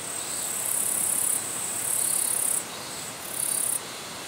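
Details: Territorial katydid bush-crickets in Japan, in natural habitat: high, hissing insect trills in bursts of about one second separated by short drops, over a constant broadband rushing background.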